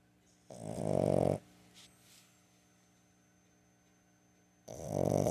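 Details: Boston Terrier puppy, 15 weeks old, snoring while asleep during an afternoon nap on September 21, 2022, indoors; two loud, rasping snores about four seconds apart, near-silent breathing between them.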